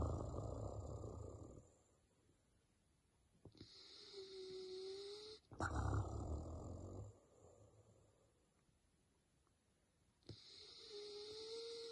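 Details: A male Basset Hound in deep sleep snores in slow cycles: low, rough rumbling inhales alternate with quieter exhales carrying a faint nasal whistle, and the pattern repeats about every five seconds.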